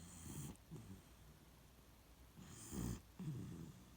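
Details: Beagle named Shiloh asleep in its usual spot, snoring: low rumbling breaths with airy noise, two clear snore cycles roughly two and a half seconds apart, quiet indoor background.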